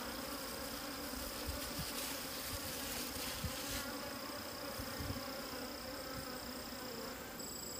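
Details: Wild bees at a hidden nest of wild honey, a steady droning hum with low layered tones holding evenly throughout, plus a faint constant high whine and soft scattered crackles.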